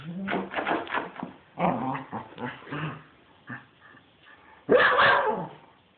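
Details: Spencer, a pet dog going a bit crazy, lets out bursts of rough, throaty barks and growls in quick runs, pauses with softer grunts, then finishes with one loud, harsh bark.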